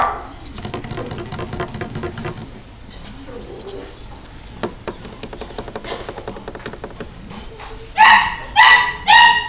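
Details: Female Toy Poodle giving three loud, sharp, tonal barks in quick succession near the end, after a stretch of soft voices and low household background sounds.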